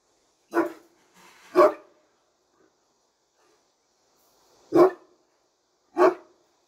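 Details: Great Dane from Turkey, kept behind a bar, gives two heavy barks close together, falls silent for about three seconds, then delivers two more booming barks roughly a second apart.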